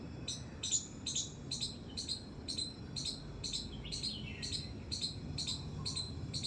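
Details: Squirrel squeaking in a terrace garden: a run of sharp, high chip-like notes about twice per second, a short descending chirp midway, light background hum.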